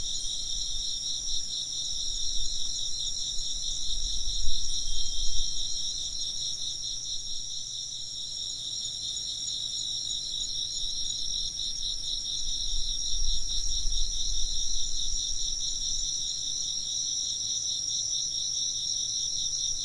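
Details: Insect chorus of rapid, high chirping trills running without pause in several stacked pitches, with soft low rumbles swelling twice in the background.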